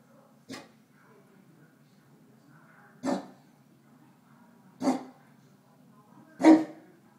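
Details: Male Neapolitan Mastiff indoors, barking protectively at his own reflection in a mirror: four single deep barks spaced about two seconds apart, with quiet room background between them.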